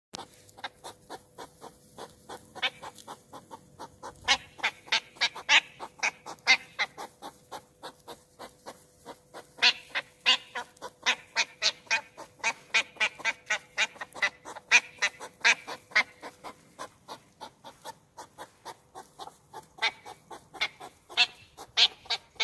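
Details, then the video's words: A European hedgehog in Olomouc on 2 July 2019 snorts and huffs loudly during courtship, in fast, rhythmic bursts of sharp, breathy puffs. "Ježek západní Olomouc 2 7 19"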